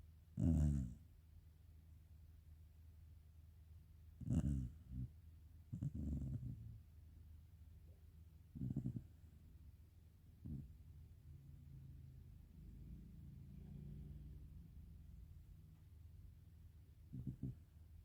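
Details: Low, gravelly snores from Karin, a black Shiba Inu dozing indoors, come at uneven intervals: a strong burst, then several shorter, softer rasps and a faint murmur between them, all deep and breathy.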